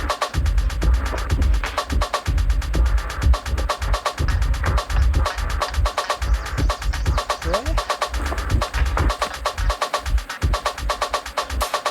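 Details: Loud rhythmic percussive music with voices plays throughout, and no animal sound can be picked out.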